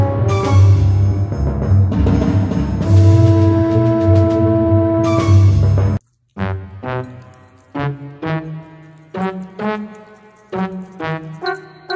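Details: Dramatic orchestral music with timpani and sustained brass chords gives way after a short pause to punchy staccato brass hits, with no animal heard.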